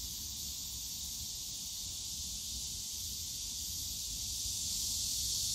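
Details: Cicadas buzzing on a summer day in the Yongsan Family Park bamboo forest, a constant high shrill drone that swells louder toward the end, over faint low-pitched background rumble.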